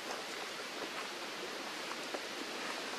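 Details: Steady broadband hiss like rain or rushing water, with no animal calls heard.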